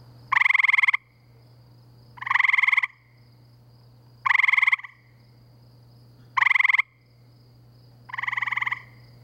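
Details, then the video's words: Gray treefrogs at night by a pool in Framingham, Massachusetts, in spring; five bursts of rapid pulsed trilling, each under a second, spaced about two seconds apart, one slightly fainter caller at the end, steady low background hum. "Gray Treefrogs, Framingham, MA"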